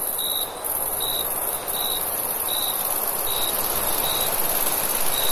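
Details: Crickets at night in summer: short clear chirps repeat about every 0.7 seconds against a steady high continuous trill, with a soft hiss of background noise throughout.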